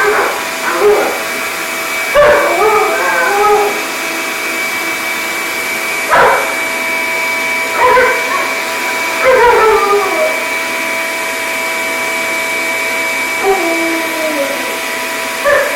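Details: Facing down a noisy shop vacuum, the female Alaskan Malamute Sojou lets out a string of yodelling howls and yips in irregular bursts, pitch dropping within each, over a continuous vacuum hum.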